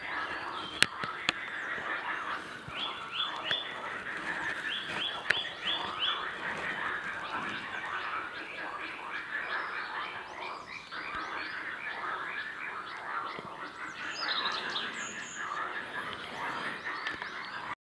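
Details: A dense chorus of mating frogs calls together in a steady mass of rapid, rattling croaks, early on a spring morning at Göygöl lake on 23 April 2017.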